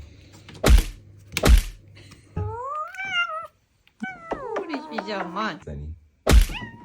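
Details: House cat guarding its personal boundaries: two loud thuds, then two wavering, rising-and-falling yowls with rich harmonics, a brief silence between them, and a final thud, with people talking nearby.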